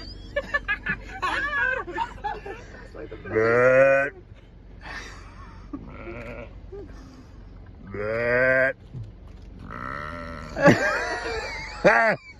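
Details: At Lake Minnewanka, Banff, a bighorn sheep trades calls with a person: two long, quavering bleats roughly four seconds apart, among scattered human voice sounds, clicks and shuffling.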